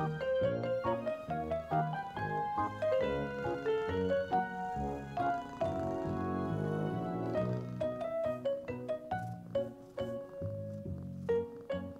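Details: Gentle piano music plays a flowing melody of plucked-sounding notes from start to finish, with no animal voice audible.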